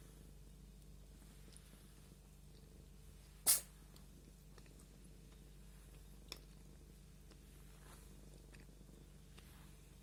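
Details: Purring domestic cat being combed, a quiet low continuous rumble, interrupted by a single sharp sneeze a few seconds in and a small click later.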